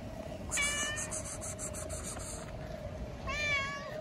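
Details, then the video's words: A sleepy cat sitting on a bench, licking itself, gives a short bright meow and then, about three seconds later, a second wavering meow. Faint rustling from its grooming runs between the calls over a steady background hum. "Sleepy Cat meows and licks itself"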